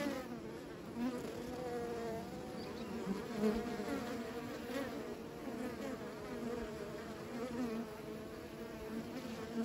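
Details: Continuous humming of many bees, a dense low drone with gently shifting pitch and small swells in loudness throughout, with no other clear sounds.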